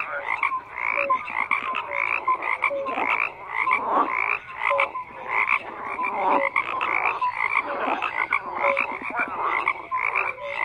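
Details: Many frogs croak at once in a thick, steady chorus: rattling pulsed calls overlap with brief whistle-like tones recurring every second or so, unbroken across the whole stretch.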